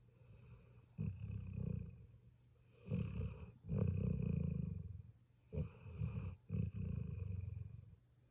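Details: Puppy asleep, snoring in low rough rumbles of uneven length, some drawn out over a second, others short and clipped, with brief snorting catches between breaths.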